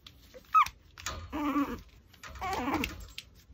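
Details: Pomeranian chewing a raw pork backbone; a brief sharp high squeak followed by two longer nasal whining whimpers about a second apart, low crunching between them.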